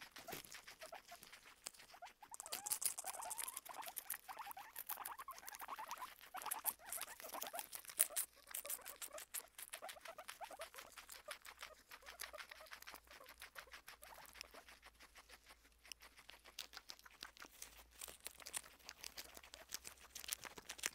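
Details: Guinea pigs Kona and Suba crunching food while eating, a dense run of rapid crisp clicks and crackles repeated continuously, with faint squeaky chirps mixed in early on.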